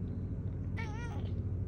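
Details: Pet cat meowing in reply while its owner talks to it at home: a single short wavering meow of about half a second, with a low steady rumble beneath.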